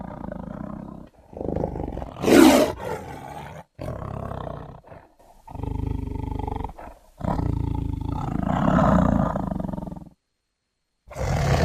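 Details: Tiger giving a series of rough growling roars separated by short pauses, with one sharp, loud burst early on and deep, throaty rumbles between the louder calls.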